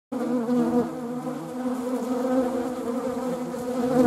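A honeybee's steady, low, droning buzz from its beating wings, holding an even pitch throughout.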